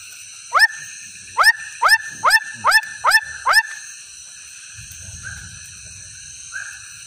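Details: A swamp frog gives a quick run of sharp, upward-sweeping notes, about two per second.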